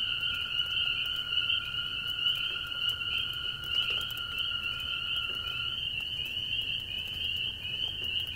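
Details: Many very small spring peepers cling to an old barn shovel in light rain and give high, rising peeps that overlap into a constant shrill ringing, with toads trilling nearby.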